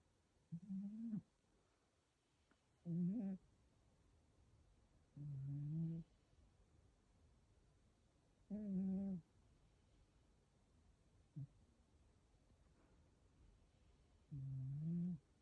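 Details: Sleeping cat named ぱん太郎 snoring: low, buzzy, nasal breaths repeating every two to three seconds, each a short droning rasp, in a quiet indoor setting.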